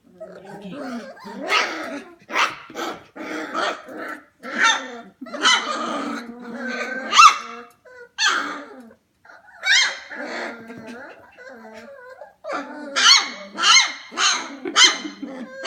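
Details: A litter of F1 Goldendoodle puppies, 25 days old, at home late at night around 11pm, keep up a steady jumble of squeaky yelps, small barks, grumbling growls and whines, with brief pauses between noisy bursts.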